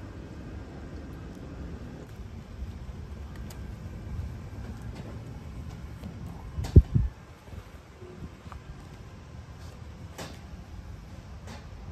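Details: A low rumble like passing traffic and fan noise, broken by one loud thump around the middle.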